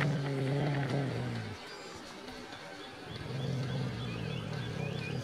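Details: Dog growling viciously, a low throaty rumble in two long bouts of about one and a half seconds each, separated by a quieter rough-breathing pause.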